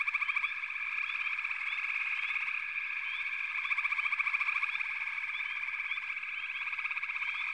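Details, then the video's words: Dense frog chorus with many callers overlapping: steady trilled, pulsing bands in a continuous wall of sound, flecked with short rising chirps above, swelling and easing in loudness every second or so. "FROGS - Pig Frogs, Water Frogs, Backwater Chorus, & Frog Chorus"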